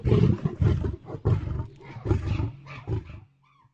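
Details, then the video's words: Deep lion roar broken into rapid throaty pulses, heavy low rumbling repeated several times over about three seconds, then trailing off into silence. "صوت الأسد - زئير الأسد - Lion Roar"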